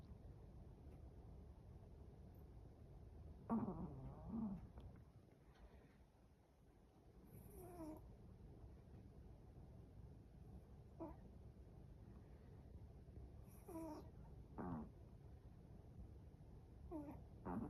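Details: Chihuahua asleep and snoring, irregular short nasal snorts and rasps scattered through the recording, some louder, others faint, against low indoor background noise.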